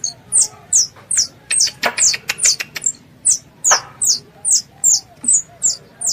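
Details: A squirrel calling for its mother gives quick, high, downward-slurred squeaks in a steady stream, roughly two or three per second, with a few dry clicks in between.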